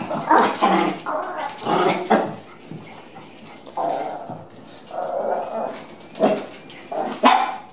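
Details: Chihuahua on a trial day at a dog daycare, meeting other dogs; short sharp barks come in bursts, with quieter gaps and faint background voices between them.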